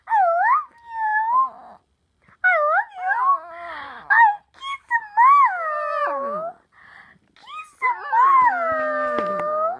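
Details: Pet dog vocalizing at its owner indoors, giving long, bending howls and whimpers that rise then fall, grouped in bursts with brief silences between, ending in a sustained level wail.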